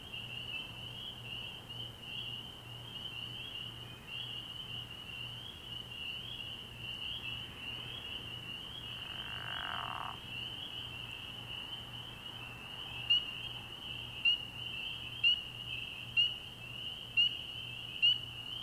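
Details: Frog pond at night early in the year, filled with a shrill, continuous chorus of spring peepers; a short soft rush of noise passes midway, then one nearby peeper rings out loud, sharp peeps about once a second.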